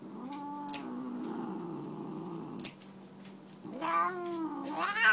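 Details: Siamese tabby cat named Tammy, unhappy about having her nails clipped, gives a low sustained moan broken by two sharp clicks, then a short pause before a rising, louder wail that climbs sharply at the end.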